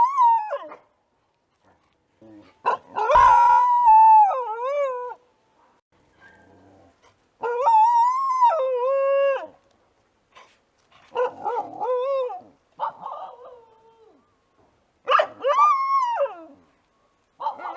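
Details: An Australian dingo gives long, wavering howls that slide up and down, with short yelping breaks between them.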